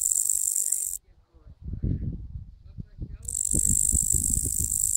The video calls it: Sound of Katydid